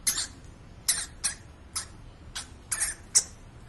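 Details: Pet hamster at home, giving seven short, sharp, hissy bursts spaced irregularly over under four seconds, with a faint background hum.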